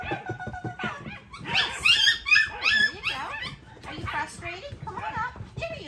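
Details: A kennel puppy doing a barrier challenge whines in high, wavering, nasal tones, frustrated at not getting over the barrier and at being left behind.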